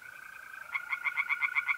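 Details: Night pond chorus in North-East Italy in mid-April, where tree frogs start a rapid series of rasping, evenly spaced croaks partway through, over a continuous high, even mole cricket trill.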